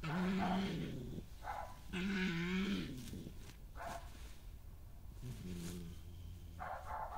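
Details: A dominant resident female badger attacks an intruding badger on her patch, recorded 20 May 2018; most growling comes from the newcomer. Low, drawn-out growls of about a second each, separated by harsher higher squeals and rustling scuffle sounds.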